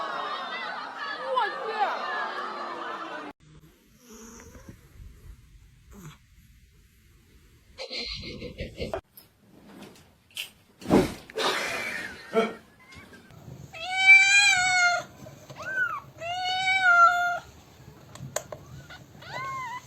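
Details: Cat out in a snowstorm, giving a few drawn-out, arching meows late in the recording, each rising then falling, after earlier stretches of human talk, laughter and rustling.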